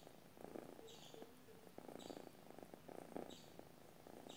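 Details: A domestic cat purrs in its sleep, quiet rhythmic rumbling in pulsed bursts, plus a few faint hum-like tones and repeated high chirps far behind.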